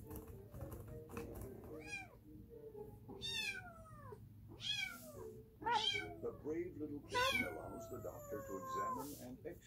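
A cat gives a series of loud, drawn-out meows that slide downward, with a voice murmuring behind.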